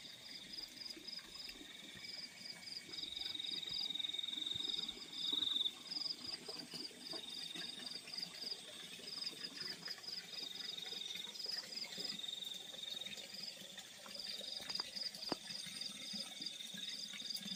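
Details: Night chorus of crickets in the fields: short high chirps grouped in rapid bursts of several pulses, repeated irregularly over a steady shrill background trill; occasional faint clicks.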